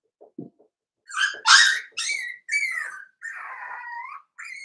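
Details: Daisy's five-week-old Cavalier King Charles Spaniel puppies in their indoor pen: after a low soft grunt, loud drawn-out whines, each falling slightly in pitch, the last one long and wavering.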